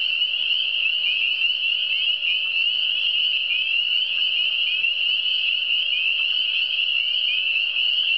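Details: Eastern Townships frogs keep up a relaxing, nonstop chorus of thin high trills, dozens of callers blending into a steady shimmering tone, accompanied by a quiet unchanging hum.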